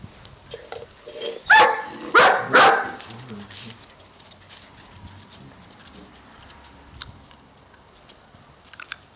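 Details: Siberian Husky puppies giving a few short, broadband yelping barks in a quick cluster around the middle, with faint scuffling and quiet background before and after.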